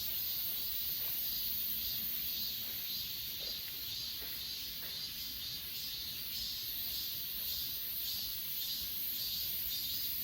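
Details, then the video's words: Grass insects singing on Achasan mountain, recorded on an S20 Ultra phone: a dense, high, shimmering chorus with pulses about twice a second over a steady hiss, with a few faint ticks below. "아차산 풀벌레소리"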